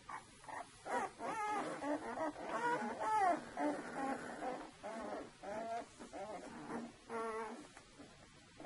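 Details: Saluki puppies of a two-week-old litter whine repeatedly, wavering, pulsing cries, about two each second, several pups overlapping in a small room.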